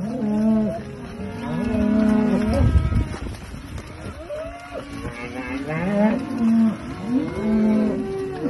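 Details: Herd of Aberdeen Angus cattle kept for farming, lowing in a string of arched, harmonic moos, several animals calling over one another with short gaps between calls.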